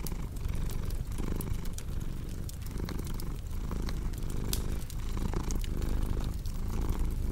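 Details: Domestic cat purring as a relaxation sound: a steady, low, rumbling drone broken by soft breath pauses roughly every second, with sharp crackles and snaps from a fireplace scattered over the top.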